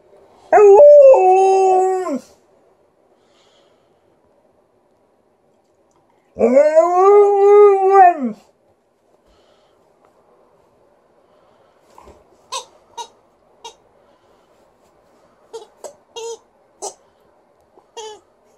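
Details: Female Alaskan Malamute in a good mood putting on a little vocal show: two long, arching, tonal howls of about two seconds each, rising then falling, followed after a pause by short squeaks from her toy.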